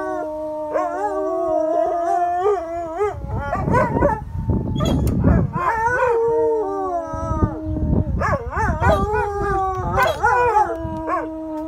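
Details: Several pet dogs howl as a fire truck drives past: long wavering howls that slide up and down, several voices overlapping and dropping out, with a few short yips between, carrying on for the whole stretch.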